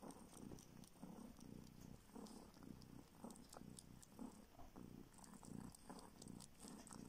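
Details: Rescued kitten, found homeless on the street and now living in a village in northern Siberia, sucking a finger in search of milk; soft, low, steady purring with rhythmic pulses and faint wet suckling clicks.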